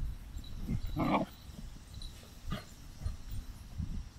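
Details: Standard poodle outdoors in Sun Valley, Idaho, giving one short, harmonic bark-like call at about one second, then a fainter brief burst near two and a half seconds, over a steady low outdoor rumble.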